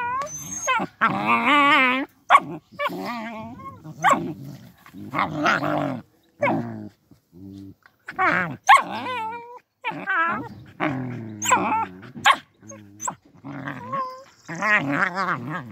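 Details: Fenced-in puppies, guarded after someone tried to steal them, trade rapid playful barks, growls and squeaky whines in dense bursts, with occasional human speech.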